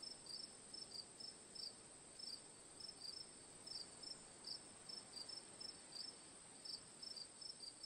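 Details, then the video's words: Relaxing cricket ambience with sharp, high pulsed chirps arriving in pairs and clusters around twice a second, set against a constant piercing insect hum and soft hiss. "Cricket Sounds for Sleep/Relaxation, Ambience, & Sound Effects"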